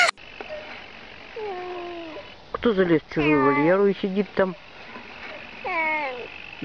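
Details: A domestic cat from a funny talking-cats compilation: soft low meows, then a series of wavering, modulated cries that sound almost like words, with background hiss and faint voices.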